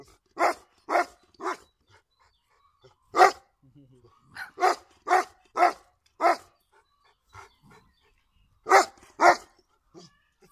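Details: Golden Retriever, a family dog, giving short bursts of sharp barks in groups of two to five with silent gaps, plus faint low murmurs in the pauses.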